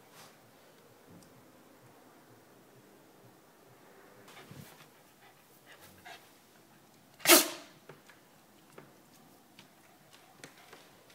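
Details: Japanese Spitz Cosmo sneezing after his bath: one loud, abrupt sneeze burst midway, preceded by faint snuffling and followed by quiet rustling.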